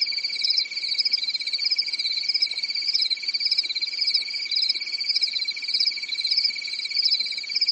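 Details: Night-time cricket chorus on a quiet European summer night in woodland, a continuous shrill pulsed trill holding an even level with a slight rhythmic wobble in the higher tone.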